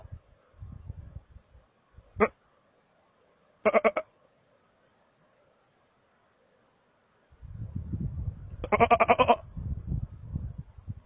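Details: Markhor in Chitral Gol National Park, Pakistan, uttering short clipped bleats followed later by a longer pulsed, nasal bleat over rustling and low handling noise.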